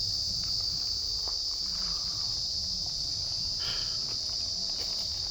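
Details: Joypur forest crickets in Bankura keep up a continuous high, ringing trill in a quiet spot with no vehicles, with light rustling and faint footsteps below.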